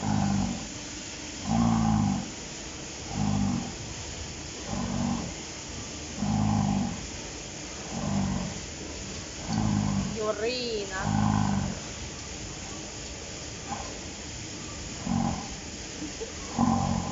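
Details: Dairy cow Yurina on a farm in Finland snores or grunts in a long, steady series of low, rasping breaths about every one and a half seconds. A short high sweeping voice sound interrupts near the middle over constant barn hum.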